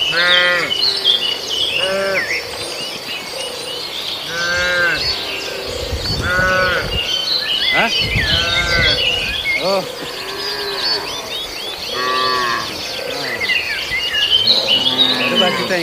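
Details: Cattle mooing while raiding residents' green grass and grazing: several drawn-out, harmonic lowing calls rise and fall every few seconds, overlapping one another, with constant busy bird chirping and twittering in the background.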